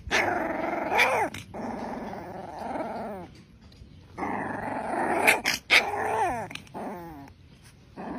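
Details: An angry young Rottweiler puppy growls in two sustained, raspy bouts separated by a brief pause, with high, sliding whine-like notes and a few sharp yelps breaking through.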